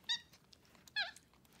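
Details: Pet capuchin monkeys indoors on a bed in the morning, being offered oatmeal for breakfast: two short high squeaky calls, each a bright harmonic chirp, about a second apart, with a quiet room behind.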